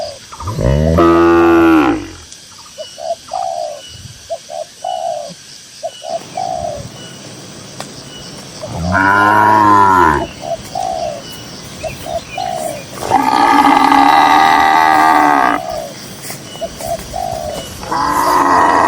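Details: Dozens of cows strolling across green grassland; several loud, rich moos, some arching up and down, one long and strained, separated by quiet stretches filled with short repeated bird coos.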